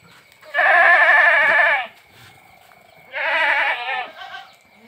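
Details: Two strong, tremulous bleats from Boer and Sirohi cross goats kept on a village farm, the first over a second long, the second shorter and fading, with faint background hum between them.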